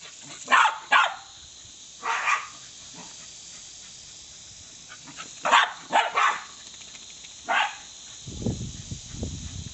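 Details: Smooth fox terriers playing with a garden hose: sharp single and double barks spaced every second or two, over a steady hiss of spraying water.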